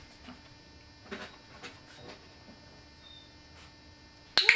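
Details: Soft scattered clicks over quiet room tone end in a sharp loud click, with no animal sound heard.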